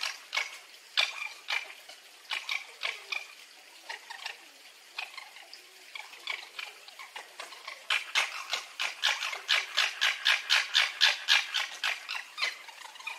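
A red fox gives rapid, high, sharp squeaks that come faster and louder toward the end.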